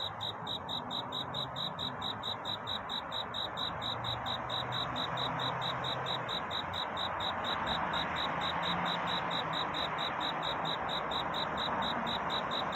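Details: A cricket sings for courtship at night. Fast, regular high chirps continue throughout, half buried under a loud, steady broadband hiss and rushing background noise.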